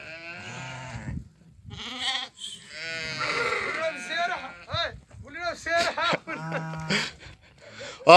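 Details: Many sheep from a Doukkala flock of 50 ewes with 25 ewe lambs and 25 ram lambs calling together: overlapping wavering bleats, higher and lower voices, nearly continuous, mixed with human talk.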